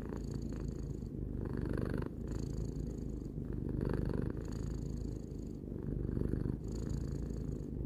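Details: Close, continuous purr of a three-year-old domestic cat, low and throbbing, alternating slightly louder and softer phases as the cat breathes in and out, about every second or so.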